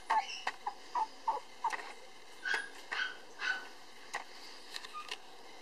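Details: Male Cavapoo puppy born on August 24, the darker-coated one of his litter and still timid: short high tonal yips and whines in quick bursts, pitch stepping upward later, with sharp clicking knocks between them.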